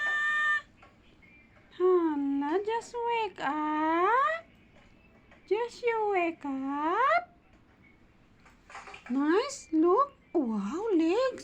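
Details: Kitten settling back to sleep gives a string of drawn-out, tonal meows in irregular bursts, several rising and then falling in pitch, with short quiet gaps between them, indoors in a quiet small room.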